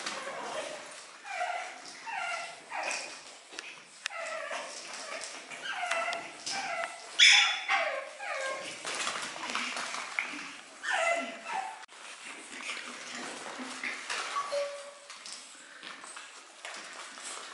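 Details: Seven-week-old pug puppies whimpering and yipping: high, tonal whines that slide up and down in quick overlapping bursts, several cries a second, with one sharper squeal partway through and short pauses between runs.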